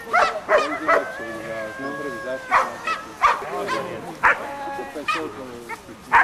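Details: Black Giant Schnauzer named Amos gives short, sharp barks, about seven across six seconds, while a person talks in Polish between and over them.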